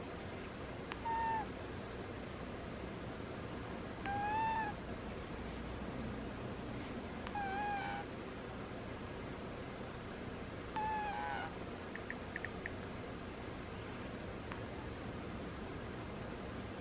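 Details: Sleeping cat snoring with squeaky sounds: four short high whistled squeaks, each slightly arched then falling, repeating about every three seconds over a faint steady indoor hiss.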